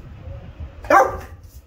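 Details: During training, a Rottweiler gives one deep, loud bark when repeatedly told "speak".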